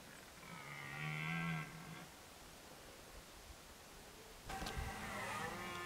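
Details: A red deer stag bellows during the 2023 rut in Côte-d'Or, France: a drawn-out, deep, harmonic moan, then a rougher burst.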